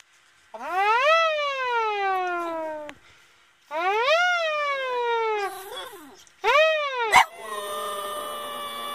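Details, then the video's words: A Boston Terrier howls in long, wavering notes that rise, then slowly slide down, described as singing. "singing Boston Terrier"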